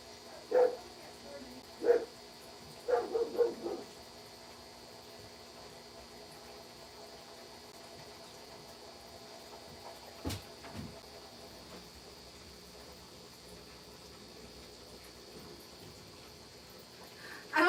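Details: German Shepherd named Loki barking indoors after someone knocked on the door: a few deep, loud, booming barks in the first four seconds, then near quiet with a single thump and a final burst at the end.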